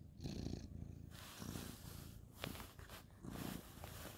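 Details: Ginger tabby male cat petted at bedtime, 2/11/2023; low purring rumble in uneven pulses, mixed with rustling and handling noise and a brief click.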